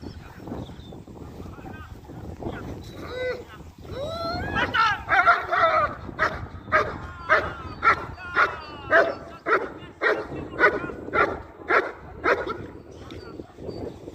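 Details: German Shepherd in IGP competition training barking in a steady, loud series of sharp harmonic barks, nearly two per second, after a few softer rising whines and yelps at the start; low background murmur throughout.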